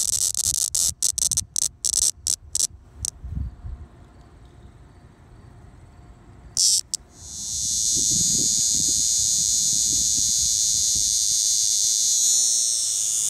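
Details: A hand-caught Linne's cicada (Neotibicen linnei) in Middletown, New Jersey, gives a harsh alarm squawk: choppy, hissing bursts breaking into a loud, continuous buzz.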